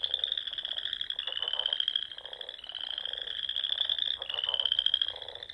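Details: Spring chorus of frogs from the Nebraska Sandhills at dusk, near small lakes and ponds. Long buzzy trills ride up in pitch one after another, backed by a steady throb of lower croaking.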